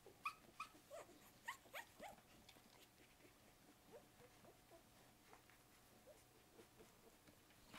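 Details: English Springer Spaniel puppies from a litter of eight, 1 to 2 weeks old, give high, thin squeaks and whimpers, strongest at first, then softer.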